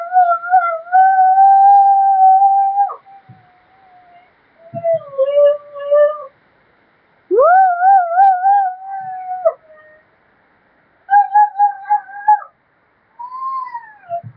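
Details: Siberian husky. A young Siberian husky gives a series of drawn-out howls, each lasting one to three seconds. The tone is clear and fairly high, wobbling slightly and sometimes swooping up at the start before trailing off.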